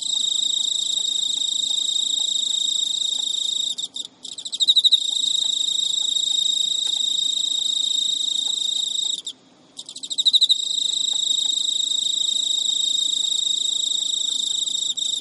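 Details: Pet male Emma field cricket persistently courting a female who refuses to mate, recorded at midnight in Japan, early September 2011; sustained high-pitched trill interrupted twice by short gaps, each followed by a burst of accented pulsed chirps.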